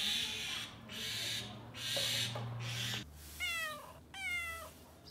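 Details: Domestic cat giving two short meows near the end, each a drawn-out, falling, harmonic call about a second apart, over a steady, noisy, hissing background with a low hum.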